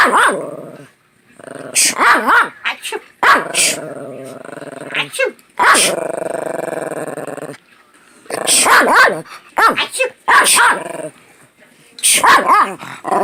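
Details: A plump male Chihuahua objects to repeated human sneezing with rumbling harmonic growls, sudden yappy barks and whiny grumbles, interrupted again and again by loud sneezes over about thirteen seconds.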